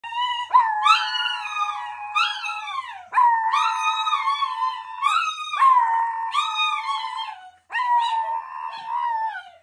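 Several Chinese Crested dogs howl together in long, wavering, high-pitched notes that rise and fall.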